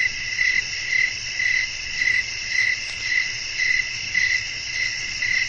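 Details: Nocturnal cricket chorus with wind, intended to soothe toward sleep: shrill, tinny chirps recur in clear bursts about twice a second over a continuous high buzz and faint background hiss.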